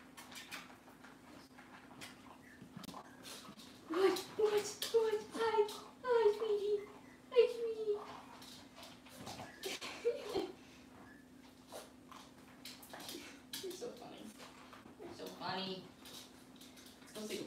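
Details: Cavalier King Charles Spaniel puppies indoors on a kitchen camera, cloudy Monday morning; a run of short, high, wavering whines and squeals repeats for several seconds, followed by human voices, soft clatter and a steady electrical hum.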